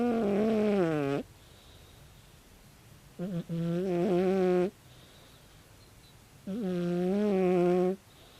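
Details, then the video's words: Tabi, a 16-year-old calico cat, snoring loudly while asleep: three long tonal, harmonic snores of roughly one to one and a half seconds each, spaced about three seconds apart, with quiet breathing between them. "タビ 猫のいびき"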